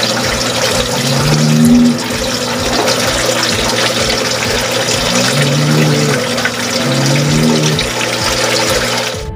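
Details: Rushing water and steady background music fill the clip, with no animal voice standing out. A low tonal hum runs underneath throughout.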